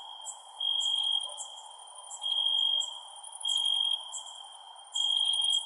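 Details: Night-time crickets give repeated high, tonal chirping trills lasting about half a second each, spaced around a second apart, alongside crisp higher clicks and a constant soft background hiss.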